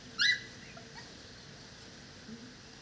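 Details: Dogo Canario puppies, four weeks old: one sharp, high-pitched yip bursts out near the start, followed by a brief fainter whimper, then near-quiet background hiss with a small soft sound toward the end.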